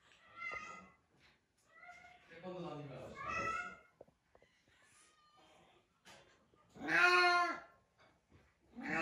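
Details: Small-bodied boss cat that has long defended its place as leader, indoors; a few drawn-out meows with strong rich harmonics, the loudest near the end, alternating with quieter human speech.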